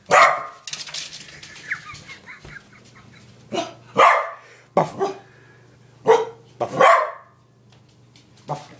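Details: Nana, a playful female corgi, barks indoors in sharp separate yaps, with bursts near the start and then singly about every second, with a faint low hum underneath.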